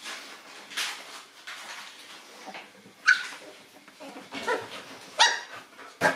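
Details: Nine-week-old Boston Terrier puppies indoors encountering a new toy; scattered high yaps and squeals, some sharp and loud, between softer rustling and shuffling.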